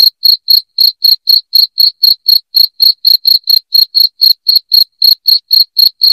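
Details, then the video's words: Piercing cricket chirps, used to drive rats away from a house, repeat in a brisk, steady beat of about four short pulses per second over an otherwise silent background. "SUARA JANGKRIK NYARING PENGUSIR TIKUS"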